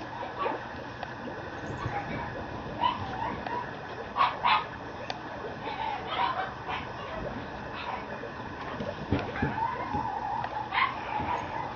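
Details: Mame Shiba male puppy at a breeder's kennel in Japan, giving short high yips and whimpering calls in scattered bursts, some rising, over a steady background hiss.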